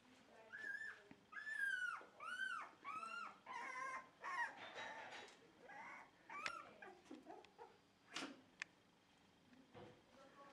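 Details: Dog at a Shiba Inu and Samoyed breeder in the Netherlands, indoors beside a freshly cleaned bed: a run of high, arching whines and yips, rising then falling, several per second, with short pauses between bursts.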